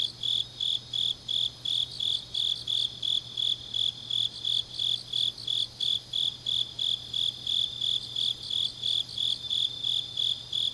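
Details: Autumn night grass insects from Changnyeong, South Korea, singing in an even pulse of shrill, bright chirps, about three per second, layered over further high trilling and a quiet steady hum.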